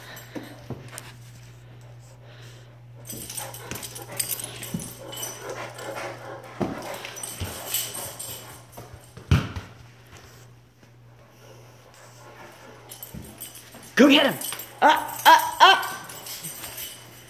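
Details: Great Dane Nash during a nightly zoomie chase game; after a stretch of scuffling and footfalls, a cluster of short, high, harmonic whimpering yelps bursts out near the end, over a steady low electrical hum.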